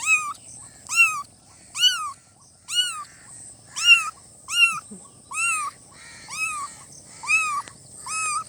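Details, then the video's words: Newborn kittens meowing: ten high, arched meows repeated roughly once a second, each rising then falling with bright harmonics, over a faint steady high hiss. "Kitten meowing|kitten meowing sound effect|"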